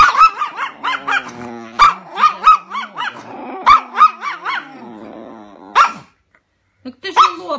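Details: Chihuahua pet dog in an angry mood, barking in rapid bursts of high-pitched yaps with a snarling growl running between them, then a brief silence before a few more yaps.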